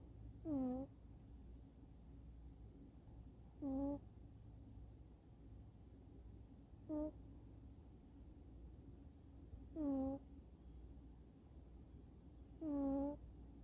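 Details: Sleeping kitten snoring on a sofa, chin resting on a forearm propped against the sofa back, airway slightly restricted; short squeaky, nasal whistle-like breaths with a dropping then level tone, one every three seconds or so, in a quiet room.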